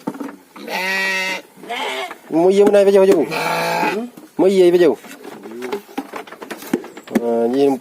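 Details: Farmed gibas sheep, kept in a modern pen and raised for a three-month harvest: a run of loud, wavering, nasal bleats, five or six calls with short gaps, some rising and falling in pitch.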